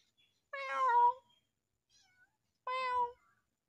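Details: Stray kitten in fear crying two long, clear meows, the first wavering and longer, the second steady and ending with a slight drop, separated by a second of near silence.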